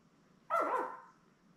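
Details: Newborn Labrador Retriever puppy beside its mother Belle in a live puppy cam, litter of seven born May 24, 2021; a single short, bright yelp with a falling tail lasting about half a second, against quiet room hiss.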